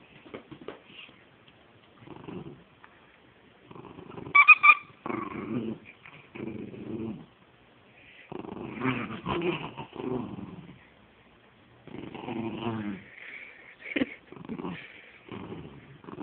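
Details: Pet dog Penny at play with her stuffed animal, giving repeated low throaty growls in uneven bursts, a few higher squeaky yips between them, and a woman's baby-talk voice now and then.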